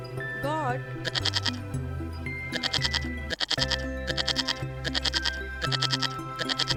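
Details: Sheep giving a series of short, quavering bleats in quick succession, set against continuous cheerful background music and brief speech.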